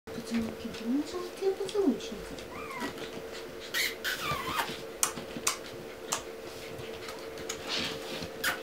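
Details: Pomeranian puppies indoors give thin rising and falling whimpers in the first two seconds, then fainter squeaks among clicks, rustling and a steady background hum.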